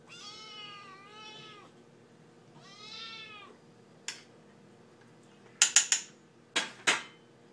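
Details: Hungry Siamese kitten Brie, impatient for her dinner as it is prepared, gives two long wavering harmonic meows, the first with a dip midway, followed by sharp clinks of dishes and cutlery.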